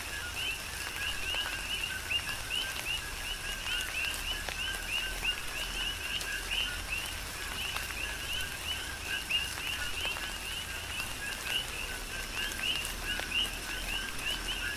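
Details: Tropical rain on the Big Island of Hawaii with a continuous coqui frog chorus: repeated rising two-note chirps from numerous frogs, evenly spread and overlapping, set against steady rain noise and occasional loud raindrop taps.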